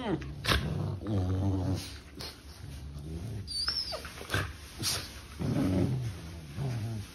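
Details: Sibling puppies playing together, giving low rumbling growls and short grumbling whines amid scuffling, with a person speaking softly and a faint high tonal background hum.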